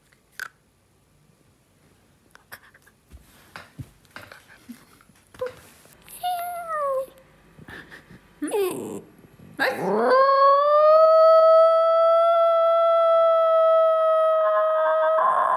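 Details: Male Italian Greyhound, a pet that rarely barks, howling indoors: faint scuffles and soft squeaks, a short falling whine near six seconds, then a loud, steady, harmonic-rich howl held level for about five seconds.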